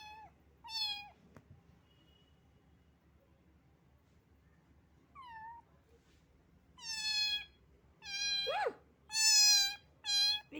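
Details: Small cat that had been soaked by rain and was shivering with cold: scattered meows, then a loud run of insistent, wavering cries near the end. One cry swoops upward sharply, over a quiet background.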